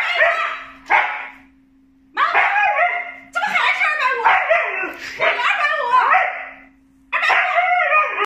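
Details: Siberian Husky vocalizing in several loud, drawn-out yowling bursts with bark-like edges, each lasting one to two seconds and separated by short silences, over a steady low electrical hum.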